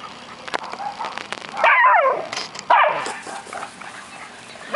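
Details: Playing dogs, an American Eskimo, a Schnauzer and a Boston Terrier, give two loud wavering growl-barks with harmonics. A person's voice and faint clicks fill the quieter moments.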